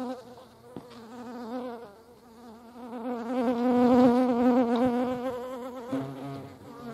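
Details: Hornets at a feeding place give a steady, low, droning buzz that swells louder and fades as they fly near.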